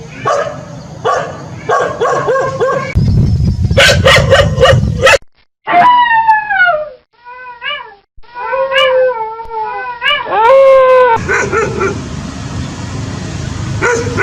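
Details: Domestic dogs and puppies in a howling and barking compilation: repeated barks, then short arched yelping howls rising and falling, ending in a longer upward howl over steady background noise.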